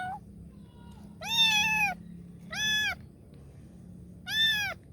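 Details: Kitten calling for help with three loud, drawn-out meows, the first the longest at nearly a second, arched in pitch and strongly harmonic, separated by quiet gaps with a faint low background hum.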